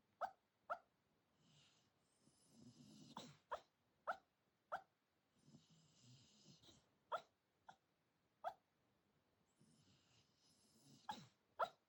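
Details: Senior Shiba Inu talking in its sleep at 4:30 in the early morning: short muffled woofs and yips roughly every half second to second, between soft breathy snoring sounds, indoors and quiet.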